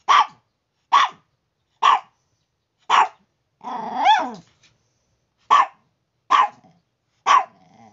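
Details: Chihuahua making morning noise indoors: sharp high barks roughly once a second, one drawn-out whining yelp in the middle, then more evenly spaced barks; no other sounds.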